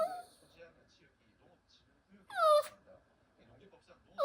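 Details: Sixteen-year-old senior dog Haeri lets out a brief falling whimper that slides downward in pitch, with faint talk murmuring in the background indoors and another whine starting at the very end.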